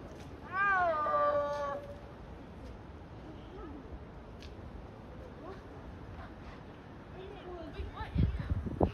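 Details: A snow leopard at San Francisco Zoo gives one loud, drawn-out, meow-like yowl that falls slightly in pitch.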